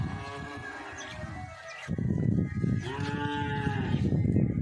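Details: Cow heard in a short stretch of harmonic, drawn-out lowing, with a first moo, a brief gap, then a louder, fuller moo with rumbling low noise around it.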